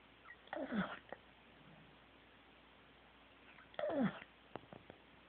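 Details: Snoring Corgi named Teddy, asleep: two rough breaths roughly three seconds apart, each with a thin descending whistle, followed by a few soft clicks and snuffles.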